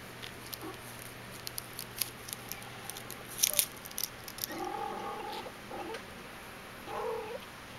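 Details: Intrepid, a three-and-a-half-week-old Persian kitten from the "I" litter, plays indoors and gives several short, thin mews with stacked harmonics, one longer held mew near the middle and a brief one near the end, amid light tapping and scratching sounds.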